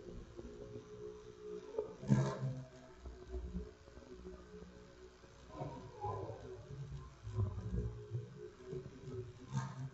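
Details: A bumblebee, possibly a queen, trapped indoors in a house window, buzzes low and unevenly, its drone rising and breaking off with soft knocks.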